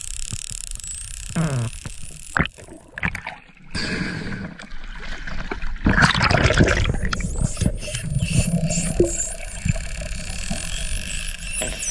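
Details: Water splashes and gurgles over a steady boat rumble, with a few bumps and possibly faint voices. No clear animal call stands out.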